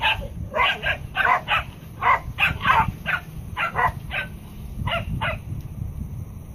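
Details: Three Pembroke Welsh Corgis give quick, sharp barks in uneven bursts while chasing off an aggressive miniature Jersey bull on command.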